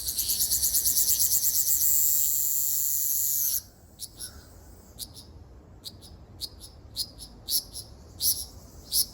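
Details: Ryukyu large brown cicada singing on Okinawa Island, Japan, on 17 June 2026: a loud, high, rapidly pulsing sizzle for about three and a half seconds that then stops abruptly, followed by scattered short sharp ticks and chirps.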